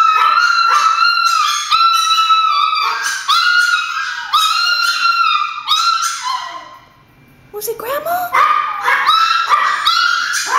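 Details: Several Chihuahuas indoors, worked up at the thought that grandma is at the door, give a string of shrill, sliding howl-barks. A brief lull comes near the seventh second before the yelping resumes.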